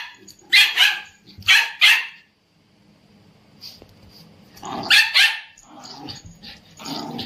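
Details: An Indian Spitz, urged by its owner to speak, gives shrill, yappy barks, mostly in quick pairs, then falls quiet before a fresh volley, with a faint human voice nearby.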